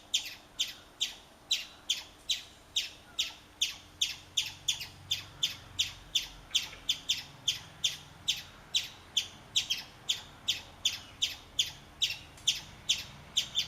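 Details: A chipmunk, urinating as it calls, gives a long run of crisp high-pitched chips, roughly three each second with a slightly uneven rhythm, over thirty notes without pause, against a quiet low hum.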